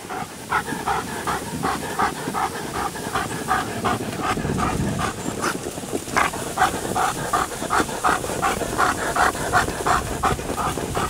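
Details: Working Alaskan Malamutes hauling a sled at Payolle on a snowy 31 January 2012, four dogs named Guizmo, Coleen, Urok and Cazan; loud, even panting pulses repeat nearly three times a second above sled hiss.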